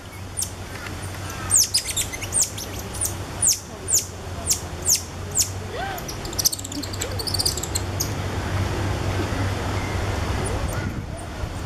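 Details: Cotton-top tamarins at Alma Park Zoo in November 2013, a family with two ten-day-old babies riding on the father's back; rapid bursts of very high, thin, sharply descending chirps, thickest in the first seven seconds, over a steady low hum.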